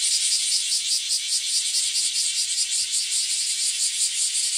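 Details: A dense chorus of bear cicadas in an alley in front of a house in the early morning, so loud it is almost noisy: a loud, harsh buzzing that pulses steadily without pause.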